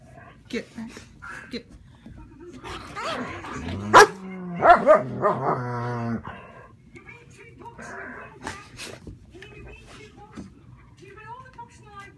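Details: German Shepherd Sheba standing guard against housemate German Shepherd Max: a rising, harmonic growling whine that pulses rapidly for about two seconds, scattered yips and clicks around it, and human voices in the background.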